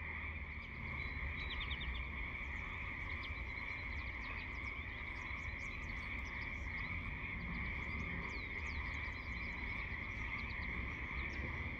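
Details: Lots of frogs chorusing at once: a continuous droning trill fills the background while many brief, sharp, high-pitched chirps pop in irregularly over it throughout.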